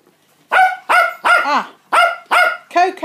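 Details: Adult Cockapoo, mother of a litter of 49-day-old puppies, barking at feeding time indoors: six loud, sharp, ringing barks in quick succession, roughly every half second, after a brief quiet start.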